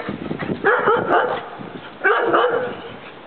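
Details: Bouvier des Flandres dogs Julienne and Derringer at play, Derringer trying to get Julienne to join as she jumps and leaps around; two loud, harsh, growly bark bursts about a second and a half apart, each trailing off.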